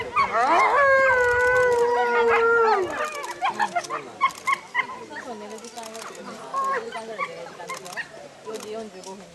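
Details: A timber wolf at a Japanese zoo gives a long, steady, slightly falling howl for about three seconds, with a second voice wavering beside it, followed by short broken yelps and clicks while people talk faintly in the background.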